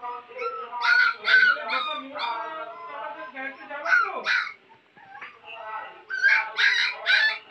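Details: Puppies in a village; high whining yelps and whimpers with wavering pitch, in quick overlapping bursts, broken by a short pause, then resuming.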